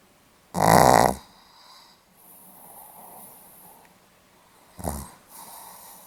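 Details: Pomeranian asleep indoors, recorded 8 November 2015, gives one loud rattling snore of about half a second, a gentle breath out, then a shorter, weaker snort-like snore near the end.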